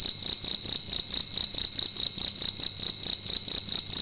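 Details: Night-time cricket in a room, chirping loudly: a high, piercing trill broken into quick rhythmic bursts about four each second, continuous and even, nothing else audible.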